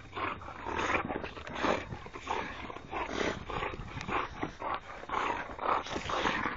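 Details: Three playful Boxer dogs wrestling, giving continuous gravelly growls and snarling huffs in quick pulses, rising and falling in loudness across the whole stretch.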